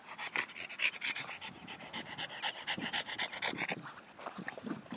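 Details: Boston Terriers on their first visit to a park; quick breathy panting about four breaths per second, soft and steady over rustling background noise.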